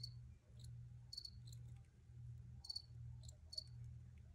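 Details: Cricket chirps, thin and high-pitched, arrive in small clusters every second or so, while a pulsing low rumble runs underneath.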